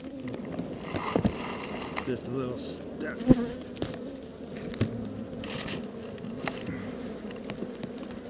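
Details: Swarm of honey bees during relocation from an unwanted spot: a continuous low, thick hum of many wings with scattered sharp clicks and knocks, and faint human voices in the background.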